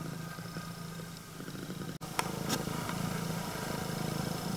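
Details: Greeting purr from a female red tabby-and-white Scottish Fold with upright ears; a low, even, buzzing rumble runs throughout, briefly broken by a click and rustle near the middle, then resuming a little louder.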